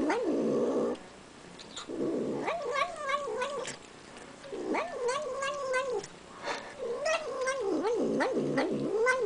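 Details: Small domestic female kitten eating sour cream, making a rhythmic wavering growl-like 'nom nom' sound in repeated bursts with short gaps, each burst rising and falling in pitch.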